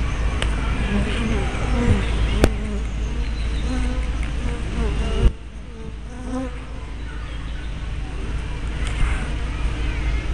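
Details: Honey bees at the entrance of their hives, 24 May 2012, filmed on a tiny spy cam with a fisheye lens: scattered low buzzing fly-bys, a sharp click near five seconds, then a quieter drone.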